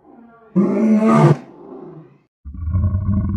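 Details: Lion (Panthera leo), roar.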